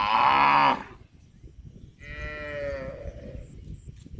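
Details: Cow sounds from a cute cow compilation: a loud, bright, harmonic bellow ending abruptly after under a second, then a softer, lower moo that sags in pitch and trails off amid background rustle.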